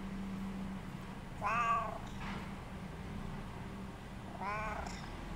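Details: Cat that wants company, recorded indoors on 25 July 2017: two drawn-out meows with curved, wavering harmonics, about three seconds apart, over a steady low mechanical hum.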